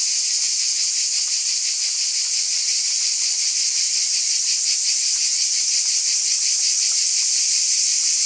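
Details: Cicadas in chorus on a summer night: a dense, steady, hissing buzz held high in pitch, faintly pulsing about three times a second, with no pauses and no other sounds.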